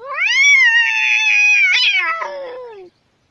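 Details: Domestic cat letting out a single loud, long meow that rises at the start, holds a steady wailing tone, then wavers and drops away after nearly three seconds.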